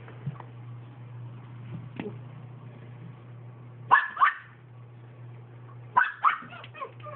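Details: Toy Manchester Terrier barking indoors: short, sharp yips in quick pairs, one pair near the middle and a cluster of three or four toward the end, over a steady low electrical hum.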